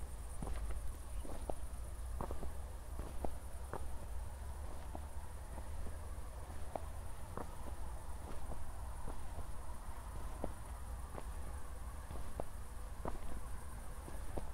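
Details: Crickets chirping on a night walk after a thunderstorm near Zwettl, Austria: an unbroken high-pitched pulsing drone, with steady footsteps crunching roughly every half second over a low rumble.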